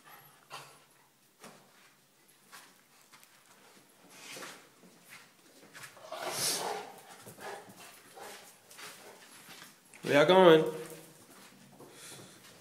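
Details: Cane corso Zeus and mini schnauzer Maximus play fighting together, the little one starting it; after quiet scuffling and a man's voice, one loud, harsh bark bursts out, with softer rustling around it.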